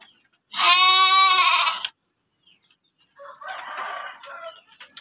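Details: Sheep kept as breeding stock in a livestock pen in Tanjungjaya village, Cipunagara, Subang: one loud, steady, tremulous bleat lasting over a second, then a quieter rough murmur of voices and shuffling.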